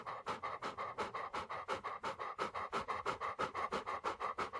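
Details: Dog breathing: fast, even panting of about three breaths a second, each a breathy rasping puff, continuing steadily throughout.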